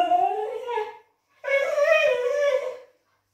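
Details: Indoors, a male blue whippet whines to ask his people for food and long walks. He gives two loud, drawn-out, quavering whines, the first sliding downward and the second longer and more howl-like, with a short pause between.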